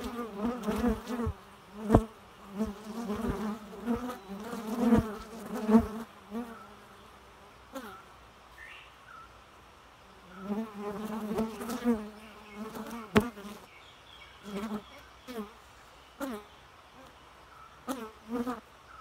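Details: A bee hums in loud, wavering passes that swell and fade, with quieter gaps between the buzzing bouts and a few sharp clicks or knocks.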